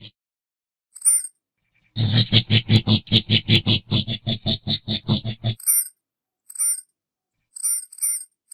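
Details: Coati giving a rapid run of rough, pulsed grunts, about two and a half per second for nearly four seconds, with brief high thin squeaks before and after the burst.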